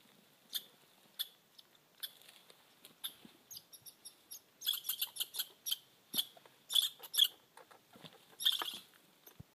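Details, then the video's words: Red squirrel on Mt Washington, New Hampshire, giving high, squeaky chip notes at irregular intervals that build into louder, rapid clustered bursts of rasping chatter in the second half. "Red Squirrels"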